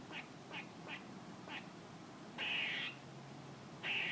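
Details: A squirrel calling with short, clipped barks spaced about half a second apart, followed by a loud, harsh, buzzy rasp lasting about half a second and a second rasp at the end, against a quiet hiss.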